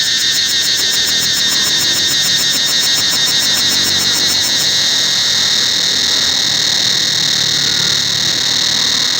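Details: Cicadas calling throughout the forest of Angkor Wat temple: a dense, continuous high-pitched buzzing drone, with a pulsing rattle layered over it for the first half that then drops away, leaving the steady whine.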